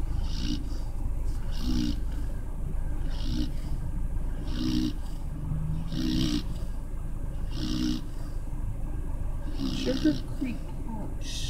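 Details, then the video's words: Sleeping puppy named Rocky snoring: rough, rasping breaths with a low rumble and airy hiss, repeating steadily about every one and a half seconds, with a steady low background hum. "Snoring puppy Rocky"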